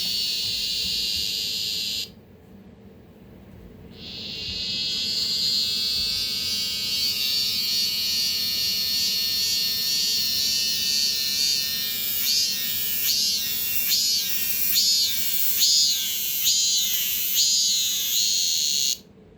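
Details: Male cicadas brought indoors by a child in Korea, fifteen calling in chorus in summer: a loud high drone that pauses, restarts, then breaks into rapid repeated pulsed phrases before stopping.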